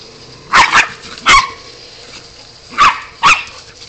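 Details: A Golden Retriever puppy and her sister, a West Highland White Terrier, at play: four loud, sharp barks in two pairs, the first pair at half a second and the second at about three seconds, with quiet pauses between.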